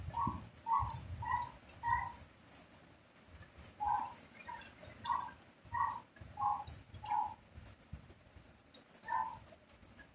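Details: A dog barks through rain and strong wind, giving a steady run of short, mid-pitched barks spaced about half a second apart, with gusty low rumbles and rain patter between them.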